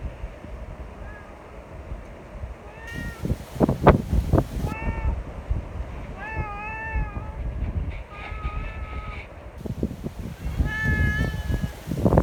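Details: Friendly neighbourhood cats meeting together despite strong wind, seeking strokes; several short and longer meows scattered through the clip, some overlapping, amid gusty wind noise and rustling.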